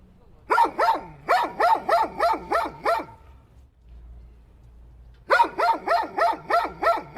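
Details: A dog yaps in quick series of rhythmic, rising barks, a pause with faint low rumble, then another fast volley of barks.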